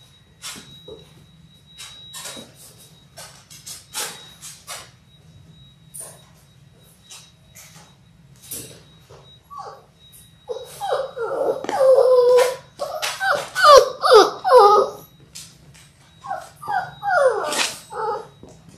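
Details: Six-week-old Labrador Retriever puppies from a litter of six born January 18, 2022, indoors on a puppy cam: faint clicks and shuffling, then from the midpoint a run of falling, tonal whimpers overlapping from several pups.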